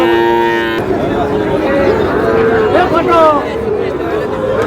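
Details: A Sahiwal bull calf at Ambari market, Manikganj, on 14 August. A short, tonal moo opens the clip and quickly fades. Loud bargaining voices and market chatter follow.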